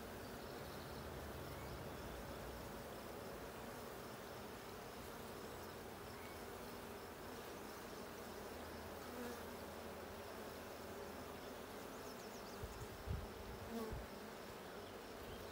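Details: Honey bees in the Blue hive during a hive check on 6/20/22: a steady, dense colony buzz with a low, even drone throughout, and brief soft knocks near the end.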